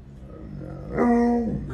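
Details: Alaskan Malamute named Tonka indoors at home, vocalizing after a smart speaker plays wolf howls; a short, steady, moaning tone with rich harmonics holds for about half a second, then drops away, with faint room noise.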